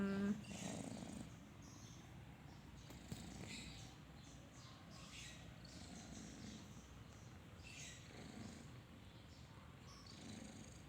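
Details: Kitten asleep and snoring: a quiet, steady low-pitched rasping rumble that rises and falls with each breath, with faint bird twitters in the background.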